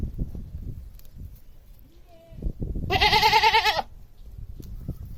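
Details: A single vibrating, nasal goat bleat lasting under a second, set against steady low background noise with a faint brief whistle-like tone just before it; animal is a domestic goat.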